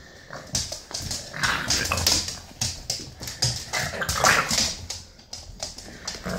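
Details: Eight-week-old British bulldog puppy Maggie, a female, tells off another dog named Marley with rapid, uneven high-pitched yips and whimpering barks in short bursts. Scuffling and play noise sound between calls.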